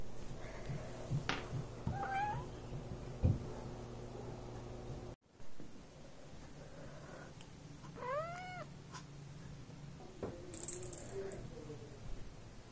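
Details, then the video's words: Domestic cats touched while sleeping, a reaction said to happen almost every time; one short rising-falling meow with stacked harmonics near the eighth second, a faint shorter call earlier, low indoor hum and rustling. "When you touch the cats while they sleep"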